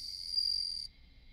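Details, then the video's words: Bell cricket, the Japanese suzumushi, ringing briefly in a high clear tone that stops abruptly after under a second, leaving a faint background hum. "Bell Insect 鈴虫"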